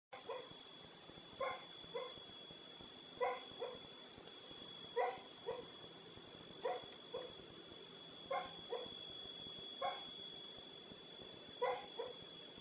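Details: Female dog making odd noises while sleeping; soft muffled woofs in pairs, repeated roughly every one and a half to two seconds, over a steady high electrical whine.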